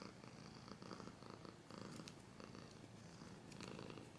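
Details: A house cat purrs without pause, the low vibrating rumble swelling slightly with each breath, brief scratchy rustles at about two and three and a half seconds.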